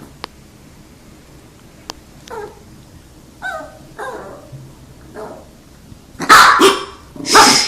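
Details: Dogs waiting in front of treats: faint taps and a few soft, brief whines at first, then two loud, harsh barks burst out near the end.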